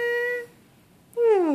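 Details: Jesse, a cockapoo, vocalizing on the speak command while doing tricks for treats, recorded 2014.03.13; two drawn-out tonal, harmonic vocalizations, the first held level, the second sliding downward in pitch, with a quiet gap between them.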